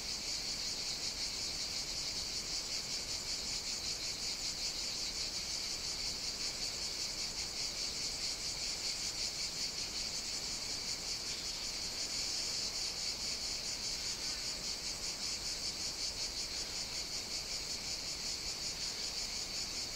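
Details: Cicadas on the Greek island of Evia sing in a dense, continuous high-pitched buzz with a steady shimmering pulse on a hot summer day.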